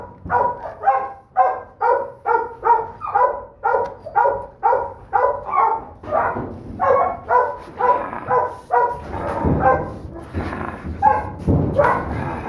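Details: Smallest pup in a Donovan Pinscher litter (Duke x Survivor), a holdback female, barking in quick regular bursts about twice a second, then looser, rougher yaps with some low rumbling noise toward the end.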